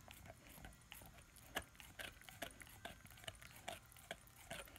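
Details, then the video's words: Young German Shepherd/Labrador puppy, ten months, biting and crunching on his first bone; quick succession of bright clicking crunches about twice each second, with a soft wet undertone. "ASMR Dog chewing on bone"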